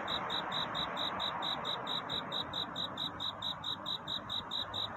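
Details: Night-time courtship song of a cricket, bright high-pitched pulses repeated evenly around four times each second, each note crisp and ringing, set against a steady background hiss.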